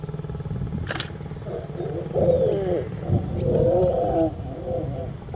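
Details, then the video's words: Lions mating in Serengeti National Park, Tanzania; a low, rough growling snarl rises and wavers for about three seconds after a sharp click, with a constant engine rumble underneath. "lion love"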